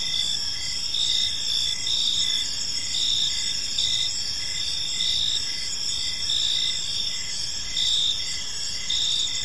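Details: Evening cricket chorus in a serene park, a continuous bright high-pitched ringing with soft pulsed chirps beneath it at a steady, unhurried pace over a quiet low hum.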